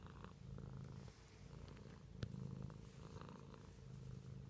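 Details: Pet cat purring indoors: a soft, low rumble that swells and fades in cycles of roughly a second, with a faint click near the middle.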